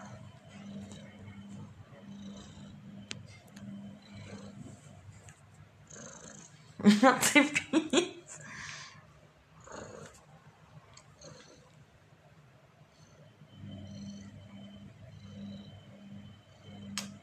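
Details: Domestic cat purring in a steady pulsing rhythm near the start and again at the end. A person talks softly in Russian throughout, with a sharp clattering burst in the middle.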